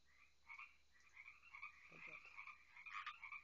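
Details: Frogs on a quiet night by water, a continuous overlapping chorus of bright trills, a few louder croaks near the end and a faint low voice in the middle.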